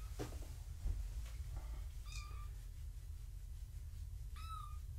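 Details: Foster kittens of the cat Gaia being weighed indoors: two clear high mews, each a short rising-then-falling whistle-like cry, separated by about two seconds, over low room hum and a few soft taps.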